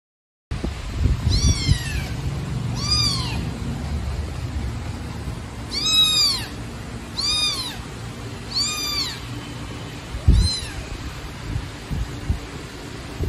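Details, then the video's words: Baby black kitten abandoned in a trash box on the street, meowing loudly: six high, arched, falling meows in loose succession with short pauses between, low background rumble throughout. "Kitten Meowing Loudly"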